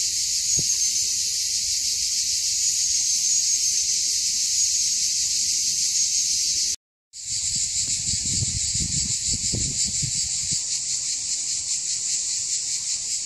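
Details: Loud cicada song heard in June on the Mont Saint Martin hill at Cap d'Agde, France; a relentless shrill buzzing wall of sound, briefly cut off midway, then resuming, with some low thumps and rustling from walking.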